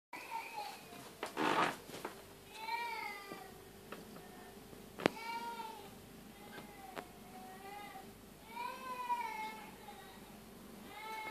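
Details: Indoor recording as a tabby cat gives birth to her second kitten; arched, harmonic meows rise and fall at intervals, with a louder burst of noise early on and soft background sounds, possibly faint speech.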